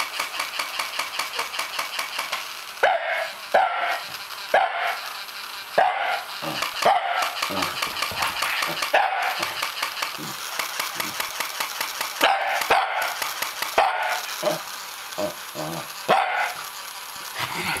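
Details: Shiba Inu barking at a toy Shiba Inu, the first toy Shiba these dogs have seen. Repeated sharp barks come in irregular bursts, sometimes doubled, over a fast steady mechanical ticking from the toy.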